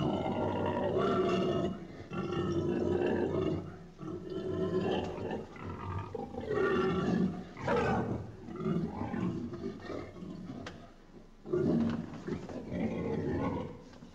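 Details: Pig squealing and grunting in loud, rough, harmonic bursts of one to two seconds, some rising and falling in pitch, separated by short pauses.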